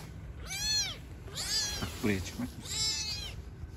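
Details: Newborn kitten meowing while living on the street with its mother cat; three high, arched mews, each about half a second long and a second apart, with a woman talking softly in Turkish between them.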